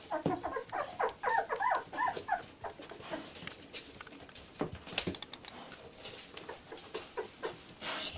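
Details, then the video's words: Fourteen-day-old Labrador Retriever puppies of litter J, indoors: a quick burst of wavering high squeaks at the start, then scattered short whines and soft thumps and rustling. "Puppy 14 days old labrador retriever"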